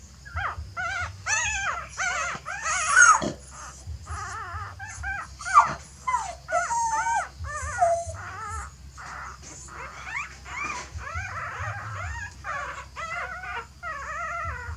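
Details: Dog family, with the mother seemingly trying to carry her puppies off to change the nest: a near-continuous run of squeaky, bending whines and whimpers, some rising and falling, clustered in rapid bursts over a faint low drone.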